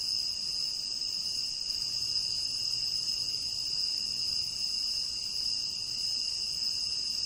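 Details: Tropical rain forest crickets keep up a dense, unbroken high-pitched chirring, several bright layered tones holding steady, while a soft low droning hum comes and goes underneath.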